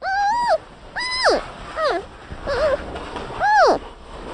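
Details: A panda bear gives a run of short tonal calls, each rising then dropping in an arch, bleat-like and clearly pitched, five calls spaced irregularly about a second apart.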